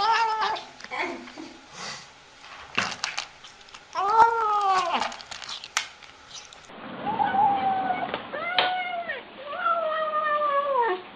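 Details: Pet cat making sounds while eating: clipped rustles and chewing noises, then a series of drawn-out, arching meow-like murmurs, several in a row toward the end, in an indoor setting.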